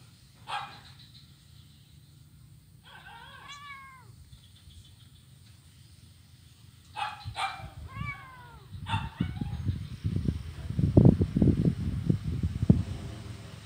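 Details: Blind kitten playing on an ironwood bridge on Jalan Kolonel Sugiono, Kuala Kapuas, Central Kalimantan, Indonesia, Monday 25 November 2019; a few thin, high arched meows spaced several seconds apart, followed by dull thumps and footstep-like knocks.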